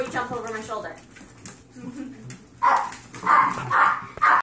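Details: Ten-week-old Yorkshire terrier foster puppies with the zoomies after a bath; a woman talks first, then four short, sharp high yaps follow in quick succession about half a second apart.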